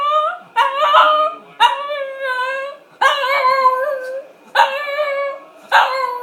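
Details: Shih Tzu dog howling because it wants a walk: a series of wavering, tonal howls in bursts of one to two seconds, rising and falling, with short yips between, separated by brief pauses.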